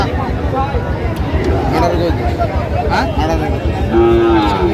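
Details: Sahiwal bull at a busy cattle market: a deep, drawn-out moo rises over dense crowd chatter and haggling voices, with a steady tonal bellow swelling near the end and traffic rumbling beneath.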